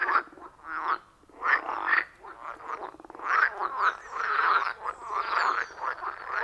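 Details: Loud frog chorus from a wild pond deep in the forest, recorded on an iPhone 14 Pro with Shure MV88+: overlapping raspy, pulsing croaks in uneven bursts, swelling louder after a short lull.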